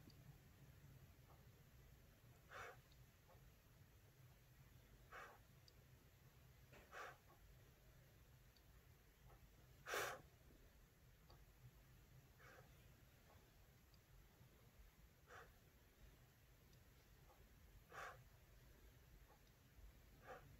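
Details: Boston terrier Laura, resting indoors and fond of the warm floor and blanket, settling in for sleep; soft snorting breaths recur about every two and a half seconds over a low steady hum.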